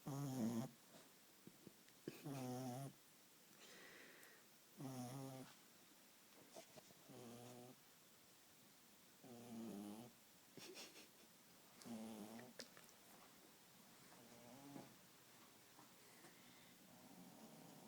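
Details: Little Beagle sleeping on a couch indoors, snoring steadily: a string of short, raspy low snores about every two seconds, some louder and harsher than others, with soft wheezy breaths in between.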